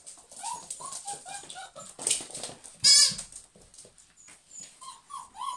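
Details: German Pinschers, several dogs: high nasal whines and whimpers in short rising-falling bursts, broken by one loud sharp bark near the middle, then more whining toward the end.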